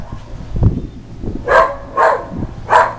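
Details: Whippet barking at the Goodyear blimp as it flies very close overhead; three quick, sharp barks in under two seconds follow a thump and some handling noise.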